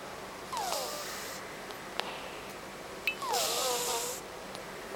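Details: Sleeping rescued cat, its nose bad since it was taken in, snores contentedly: two airy breaths, each carrying thin whistling nasal tones that slide downward, with quiet pauses between.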